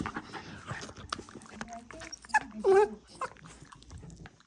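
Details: A female Havanese dog indoors making strange noises while licking the air: soft snorting and smacking sounds with short whiny squeaks, a louder nasal whimper in the middle, and quiet background clatter.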